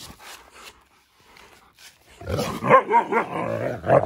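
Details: Playful Siberian Husky giving its play growl, which sounds aggressive but is how it plays. After a quiet start with faint rustling, a burst of throaty, pulsing growl-moans runs continuously for about two seconds.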